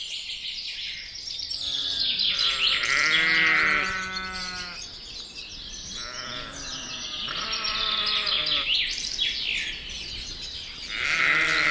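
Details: Dense birdsong fills the air while Texel sheep answer with three groups of trembling, nasal bleats spaced a few seconds apart, a couple of voices calling at once.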